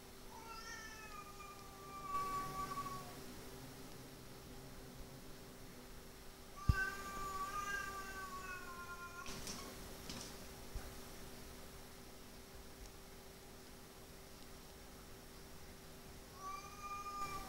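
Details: Domestic cat brothers fighting after neutering, one yowl after another: long, tonal, wavering howls at intervals of several seconds, with thumps and scuffling noises between them and a steady background hum.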